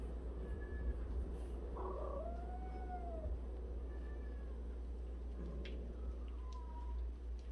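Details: Meowing from a home of 76 cats where one cat washes the others' faces each day. A long, arching meow stands out in the middle, surrounded by a few softer, brief mews, all over a continuous low hum.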